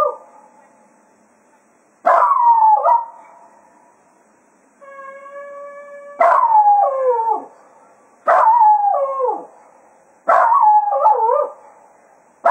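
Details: Cato the Jack Russell Terrier serenades departing hounds after a day's foxhunting at Quail Roost. Four warbling, downward-curving howl-barks repeat every two seconds, and a steady, pure hunt-horn note sounds briefly between the first and second cries.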